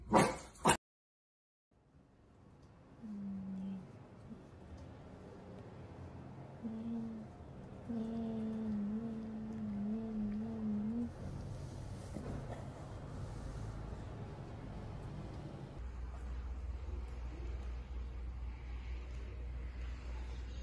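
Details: Cavalier King Charles Spaniel whining indoors: short nasal whimpers, then a long, steady, high whine with brief breaks lasting several seconds, fading into room noise and a low rumble.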